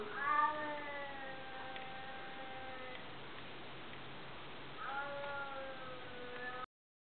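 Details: A chubby white cat gives two long, slightly falling harmonic meows about four seconds apart over a quiet hiss.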